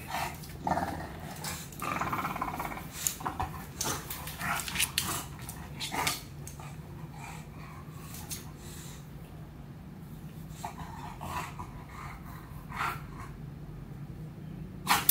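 An English Bulldog puppy gives low rumbling growls and snuffling grunts amid scattered clicks and knocks.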